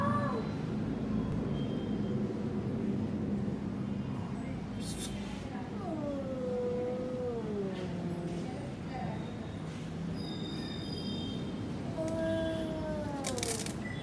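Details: Domestic cat giving two drawn-out meows, each sliding downward in pitch, one near the middle and another near the end, over a steady low rumble like passing traffic, with a few brief clicks.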